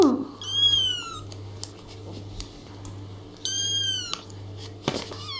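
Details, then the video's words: Two drawn-out kitten mews, high and slightly falling, separated by a pause, over a low steady hum with small clicks and knocks from handling. "Küçük (bebek) kedilerden dikkat çekici sesler"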